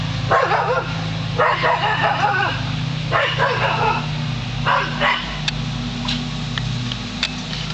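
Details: Lasky, a Border Collie, barking at a hot air balloon: loud, rough barks in short bursts of two or three over the first five seconds, then quieter, over a steady low rumble throughout.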